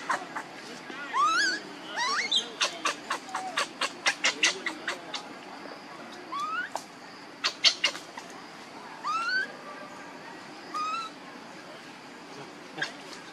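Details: Baby monkey with mother Luna: high whistled cries rising in pitch alternate with rapid trains of harsh, shrill squeaks, then fade to occasional thin upswept whines separated by pauses.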